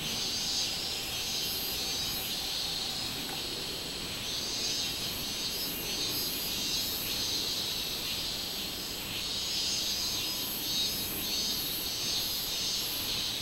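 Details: Robust cicada singing on 24 July 2016: a dense, shrill, high-pitched buzz holds steady throughout, topped by a very high pulsing layer that throbs roughly once or twice per second, with faint background hiss.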